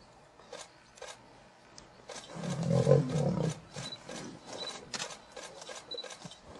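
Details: Lion fighting a buffalo, perhaps its last battle: a deep, rough growl swells for about a second in the middle and fades, set among scattered sharp clicks and scuffling thuds.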